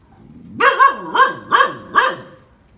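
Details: Phu Quoc Ridgeback dog during snake-catching training, giving four loud barks in quick succession, each harmonic and falling slightly, spaced about half a second apart, against a quiet background.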